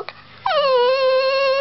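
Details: Chihuahua protecting his girlfriend: after a brief soft sound, one sustained, steady, nasal whining tone lasting over a second.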